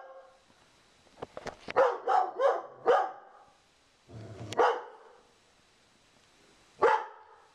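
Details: Sugar Tree, a female Dobermann, barks in a living room at a cow skull newly hung on the wall, guarding her owner. A quick burst of four sharp barks, a single bark after a pause, and one more near the end.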